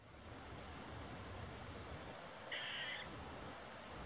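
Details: Eastern gray squirrel barking an alert call after seeing people walk down a woodland trail; one short harsh bark midway, over a steady high insect-like hiss and low rumble.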